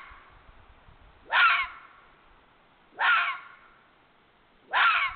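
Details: A red fox (Vulpes vulpes), a vixen whimpering, gives short, hoarse, whining yelps repeated roughly every couple of seconds, recorded 31 January 2022.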